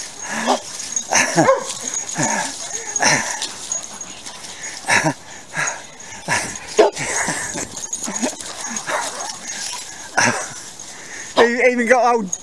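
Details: Young fawn lurcher playing chasing games with other dogs, including Old English Sheepdogs, in Pishiobury Park in October; short scattered yips and barks among several dogs, with people talking and calling out nearby.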